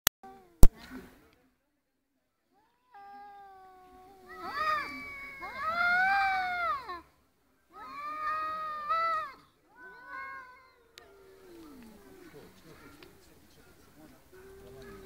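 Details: Two domestic cats arguing: long, drawn-out wavering yowls that rise and fall in pitch, coming in separate bouts with quiet gaps, plus a couple of sharp clicks at the start.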